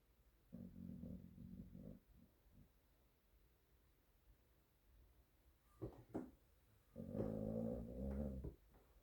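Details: A spotty dog sleeping on an office floor snores indoors in a small room. Two drawn-out, buzzy, low rumbling breaths are separated by a quiet stretch with a few soft knocks and rustles.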